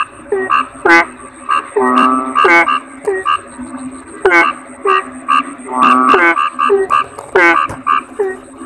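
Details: Chorus of kodok bangkong toad croaks: bright harmonic barks and short downward-bending notes repeating roughly every half second, two longer steady drones, and a thin high whine throughout.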